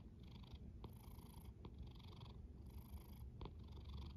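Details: A cat snoring gently gives a low rumbling drone. Two or three breathy pulses come over the short stretch, and faint clicks are spaced between them.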